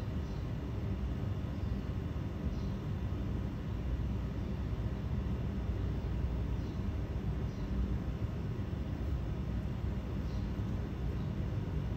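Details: A continuous deep rumble, like passing vehicles or a distant plane, fills the recording. No clear animal voice stands out above the noise.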